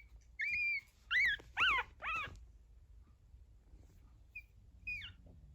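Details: Fourteen-day-old pug puppies, newly walking, whimper in a short burst of four rising-and-falling squeals about half a second apart, followed by two faint squeaks amid a low background hum.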